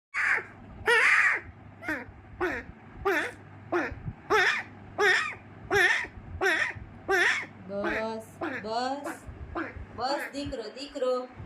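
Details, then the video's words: Abandoned little puppy crying: a steady run of high, whining yelps, each rising then falling, repeated roughly every half second. The final seconds turn into more varied, wavering, overlapping cries. "Abandoned Little Puppy Crying"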